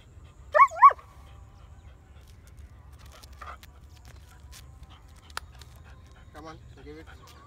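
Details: German Shepherd puppies of a heavy-bone line: two short, high, wavering whines at the start, then near silence with a few faint squeaks and soft clicks later on.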